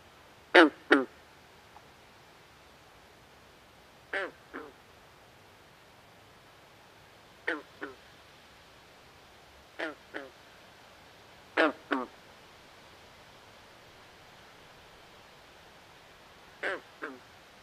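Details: Nighttime swamp frog repeating double croaks, each a short buzzy note followed by a second slightly weaker one. Pairs come every two to three seconds against a steady soft hiss.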